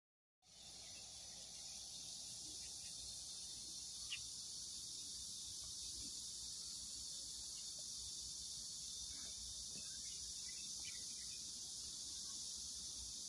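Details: Cicadas in a farm vegetable garden where the corn has already formed ears; a dense, continuous high buzzing drone starts suddenly and holds steady throughout, with faint scattered clicks beneath.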